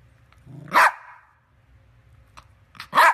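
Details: Yorkshire Terrier letting out two loud, explosive barks about two seconds apart, the first preceded by a brief low growl, over a quiet room hum.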